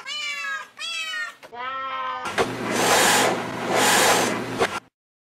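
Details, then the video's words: Cat or kitten repeating three short wavering meows, each slightly falling, followed by a long burst of loud rushing noise. "cats meowing"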